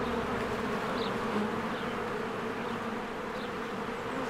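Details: Honeybees at their hive in spring, swarms flying in and out as flowers bloom; a dense, steady buzzing drone with a low hum throughout, and faint high bird chirps in the background.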